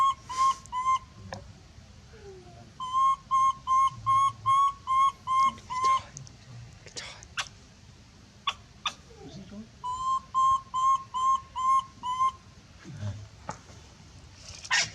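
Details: A monkey gives loud screams calling for help, steady whistle-like tonal cries in two fast runs of about eight and seven, evenly spaced. Brief pauses between runs hold soft clicks and faint human voices.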